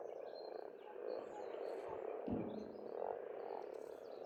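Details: Spring frog chorus from an Estonian pond, an unbroken wall of overlapping croaks rising and falling in waves, with short high bird notes and one low thump.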